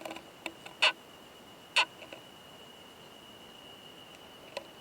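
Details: Male Oomadarakokunusuto beetle with a female, mating in a high-mountain pine forest, giving a loud "kan kan kan" sound: two sharp, loud, broadband clicks about a second apart, then fainter ticks, over a steady high electronic whine.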